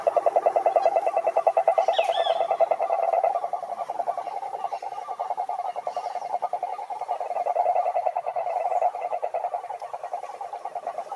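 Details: Long mid-pitched rattling trill from a toad, fast pulses running steadily for eleven seconds with slight swells in loudness and a short higher squeak early on.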